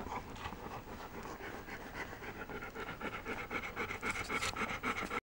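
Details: Puppies of the 2015 C litter vom Allgaier-Moos jostling for the best places, a daily scramble; rapid rhythmic panting, about three to four breaths per second, growing louder and busier toward the end.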